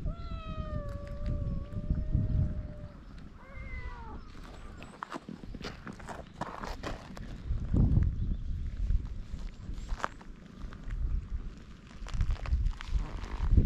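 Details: Stray cat on a Japanese cat island, filmed with a GoPro, utters a long drawn-out meow followed by a shorter falling one, then footsteps, rustling and low rumbling outdoor noise.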